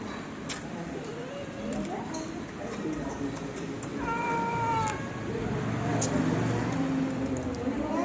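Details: Small kitten giving a single flat, tonal meow about one second long, heard over steady background noise.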